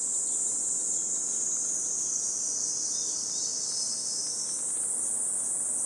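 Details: Cicadas singing on a hot 37°C summer morning in Gifu Prefectural Centennial Park, Japan: a continuous high, hissing buzz that wavers slightly in pitch, loud and steady throughout, with no other clear sounds.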